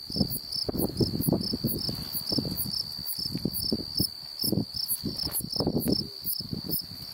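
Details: Unidentified insect singing in Beaver County, Oklahoma, July 8, 2019. It makes an unbroken high whine with sharper pulses roughly twice a second, over softer rustling and scattered low knocks.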